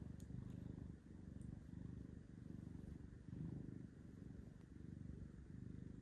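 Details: Orange cat Carlisle, up for adoption at Seattle Humane, purring deeply; low, vibrating rumble in rhythmic swells about every second, each breath cycle audible as a brief dip before the purr resumes.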